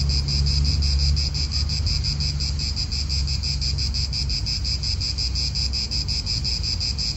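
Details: Italian park atmosphere: cicadas keep up a steady, fast-pulsing metallic buzz high above, while a deep wind rumble fills the low end throughout.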